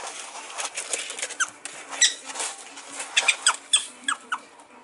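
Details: Pet prairie dogs at play: Tomato, a three-and-a-half-month-old female, chases Jumbo, a one-year-old male, who flees without fighting back. Short, sharp high squeaks come in scattered bursts over quick pattering, scratching scuffles.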